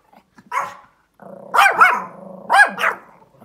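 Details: Pomeranian barking outdoors at a large dog it has spotted; a few sharp barks with rising-falling arches, one isolated then a cluster of two pairs about a second apart, with a low steady hum between.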